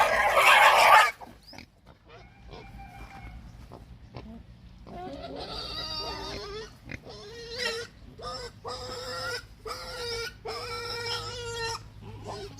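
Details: A hungry pig squeals: after a loud noisy burst and a quiet stretch, a series of tonal, steady-pitched squeals repeated roughly every half second, with short grunts between them and a faint background hum.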